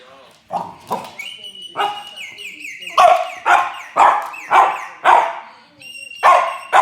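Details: Jules, a French Bulldog, responding while listening to whistling: a run of short, yelping barks, about two each second, with clear human whistled tones sliding alongside and between them.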